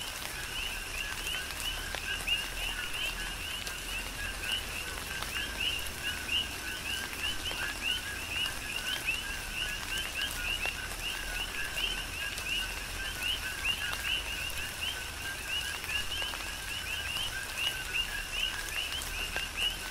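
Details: Steady rain on the Big Island of Hawaii with a continuous coqui frog chorus, countless short rising two-tone chirps overlapping evenly throughout, raindrops pattering and spattering in the background.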